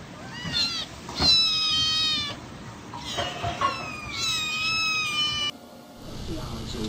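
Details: Cats and kittens meowing in a compilation, long wavering meows with stacked harmonics overlapping one another, over a noisy background that drops away near the end.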